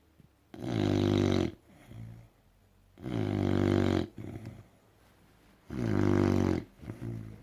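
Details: American bulldog snoring loudly indoors: three long, harsh, rattling in-breaths about every two and a half seconds, each roughly a second long, with softer snorting exhales between them.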